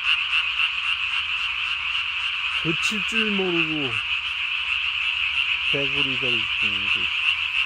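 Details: Nocturnal calling of Japanese tree frogs on 3 May 2020, throat sac swollen to body size; a continuous rapid rattling chorus, with a few lower sliding tonal sounds in the second half.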